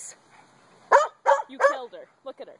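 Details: Dog barking at a playmate during puppy play, three loud sharp barks in quick succession about a third of a second apart, followed by softer short yips, with a person speaking.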